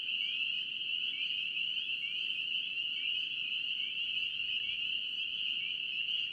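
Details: Spring peepers from North Carolina calling in a thick chorus, high piercing peeps overlapping constantly, with repeated short upward-sliding notes breaking through the unbroken ringing wall of sound.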